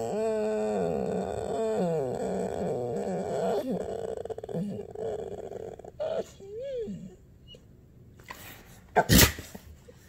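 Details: Ember, a female dog nearly one year old, cries indoors when her owner stops petting her: long drawn-out whining with wavering, sliding tones over the first seconds, a short rising whine near seven seconds, then a loud sneeze-like burst.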